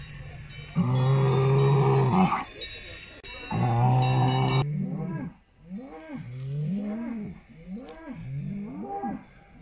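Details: Salers cattle at a cattle show in Pleaux, Cantal, France, on 13 August 2022: two loud sustained low bellows followed by a series of four arched, wavering moos about a second apart, with cowbells faintly behind.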